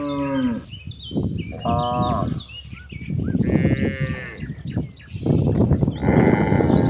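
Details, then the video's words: Cattle roaming toward a very wide pasture, several overlapping moos of differing pitch, some low and drawn out, one higher and wavering, with birds chirping brightly throughout the background. "Suara sapi moo yang sedang berkeliaran menuju Padang rumput yang sangat luas"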